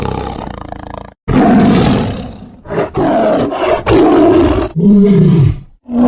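A tiger gives a series of deep, rasping roars with growling breaks between them.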